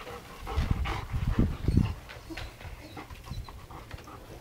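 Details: German Shepherd dog panting: rapid, rough, breathy low puffs bunched in the first two seconds, then softer, irregular breathing, with faint background noise.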